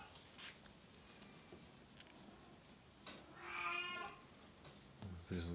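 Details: Oriental or Siamese cat meowing indoors: one drawn-out, rich harmonic meow rising then falling around the middle, followed by a low short vocalisation at the end, with soft background taps and room noise.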